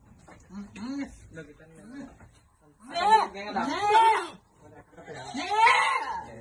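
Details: Farm goats bleat during vitamin feeding: low murmured voices at first, then two strong, trembling, drawn-out bleats in the second half, rising and falling in pitch.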